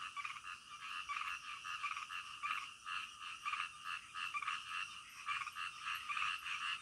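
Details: Frogs calling at night: dense, overlapping raspy croaks forming a busy chorus, pulses running together with little pause, over a constant faint high hiss.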